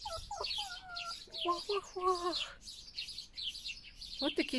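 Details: Pet foxes Vasilisa and Foxie passing food to one another: a run of clear, layered whines and wavering squeals, then a pause and two sharp yelps at the end, with steady high bird twittering behind.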